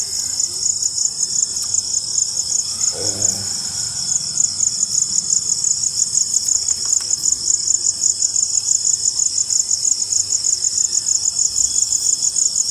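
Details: Crickets after rain keep up a continuous high-pitched pulsing trill, beads of sound repeated several times a second, while a soft low murmur sits far below.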